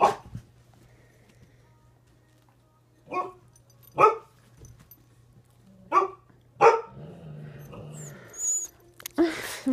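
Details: Several poodles at waking-up time bark in short, sharp, separate bursts. Five barks come over about seven seconds, spaced one to three seconds apart, over a low steady hum. A person speaks near the end.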